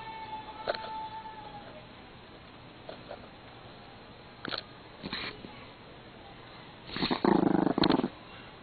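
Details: Male pet Pomeranian growling angrily because his favourite string is being taken away; a long quiet stretch with faint soft clicks, then a short, rough, harsh growl burst of about a second near the end.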